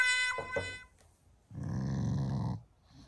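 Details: Shiba Inu growling in the morning, not angry but showing affection toward its owners; a brief low, rough rumbling growl of about one second follows a short higher tonal sound at the start.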